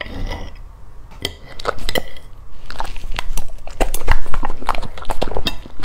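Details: Chewing golden retriever heard up close: sharp, uneven crunch clicks, sparse at first then crowding together and louder toward the end, with faint clinking like a dish.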